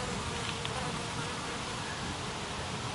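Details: Italian honey bees make a steady, dense buzzing hum as many fly back into the hive at Bay Minette ahead of coming rain, some carrying orange pollen.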